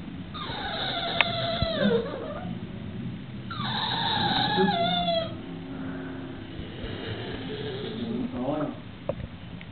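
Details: Tied up for being naughty, Sookie the English Bulldog whines to be let loose. Two drawn-out, high, nasal whines each slide downward over roughly two seconds, separated by a pause, with a low rumbling background and a sharp click.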